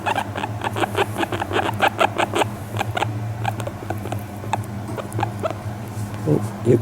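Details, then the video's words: A guinea pig, one month in its new home, relaxed and fawning on a lap while being brushed. Quick runs of short, soft rustling pulses come several per second over a low steady hum. A few small squeaks follow near the end. "【モルモット】甘えている時の鳴き声☆Crying when the guinea pig fawns upon me"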